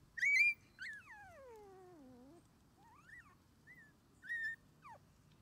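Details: Male red Shiba Inu puppy aged 21 days, starting outdoor play with its mother: a sharp high squeal followed by a long whine sliding steadily downward, then short rising and falling whimpers over soft low rumble.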